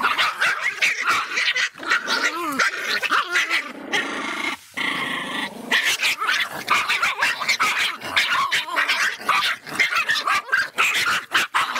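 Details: An angry Miniature Pinscher barks rapidly in sharp, high, yappy bursts mixed with growls.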